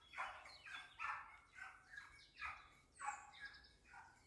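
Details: Dachsbracke hunting dog training on wild boar, barking steadily: about eight loud, hoarse barks in a quick regular series roughly every half second, each a broad rasping burst, with a calm outdoor background.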